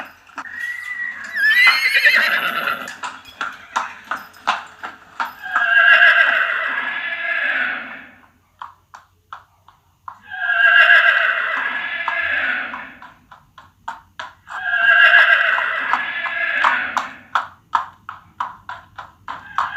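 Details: Horse whinnying with three long, quavering neighs spaced about five seconds apart, with rhythmic hoof clops and huffs between them.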